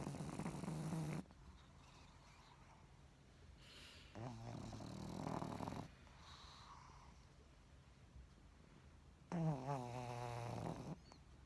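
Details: Pug sleeping inside a blanket worn by its owner, snoring: three low, rough breathy bursts at about 0–1, 4–6 and 9–11 seconds with quiet pauses between, the last with a wavering nasal tone.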